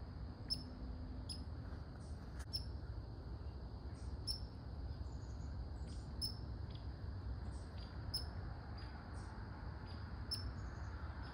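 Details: Red squirrel barking: short, sharp, high-pitched chucks repeated at irregular intervals, roughly one or two per second, over a steady low background rumble.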